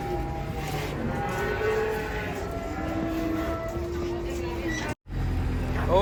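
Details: Cattle being unloaded from a truck give a long, drawn-out, low harmonic moo lasting about four seconds. A steady vehicle rumble runs underneath, with a brief cut to silence near the end.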